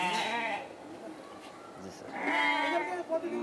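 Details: Totapuri goats at a farm where goats and garol sheep are kept for sale ahead of Qurbani; two wavering, harmonic bleats, one at the start and one after two seconds, with a man talking nearby.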